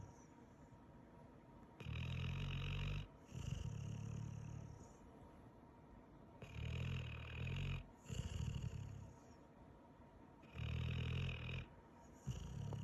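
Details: Pit Bull snoring in sleep after a long day, with rhythmic pairs of deep rumbling snores, each about a second long, repeating roughly every four seconds with quiet pauses between.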